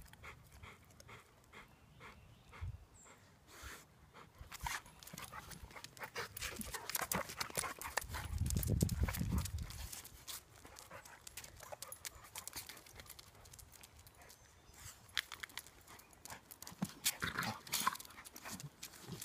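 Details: Two Labrador retrievers, a chocolate aged two and a half and a seven-month-old, tumbling and playing together at home; rapid broadband panting and scuffling throughout, with a low rumbling swell midway and sharp rustling bursts near the end.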